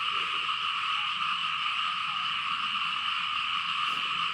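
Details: In rain over farm fields in Laos, frogs call en masse, producing a thick, unbroken trilling drone with two steady piercing layers. Loudness stays level throughout, with a brief faint sound near the end.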